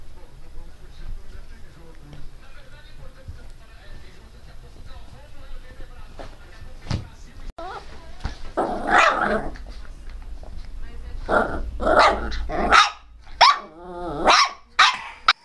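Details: Pinscher dog named Teco, barking fiercely and loudly: after a stretch of faint background sounds and low talk, sharp broadband barks start about halfway through and come in clusters, growing louder toward the end.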